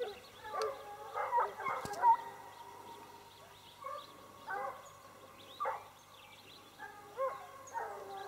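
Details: Sparks hounds bawling in short, ringing bursts that come in uneven clusters roughly every second or two, some voices overlapping, with a faint hiss behind.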